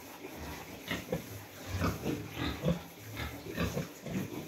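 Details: Newly farrowed sow housed with her piglets in a pen bedded with rice hulls in cold weather; soft, low grunting pulses repeat through the clip over a constant background hum.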